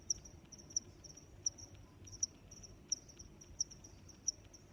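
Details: Steady cricket chirps, seven bright high clicks spaced evenly roughly two-thirds of a second apart, with faint low rumble underneath.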